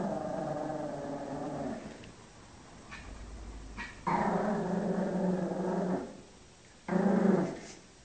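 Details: Chocolate, a pet Shih Tzu guarding its territory against dogs on television, gives low, rumbling growls: a long one of nearly two seconds, then a louder two-second growl and a short final burst, with quiet room sound between.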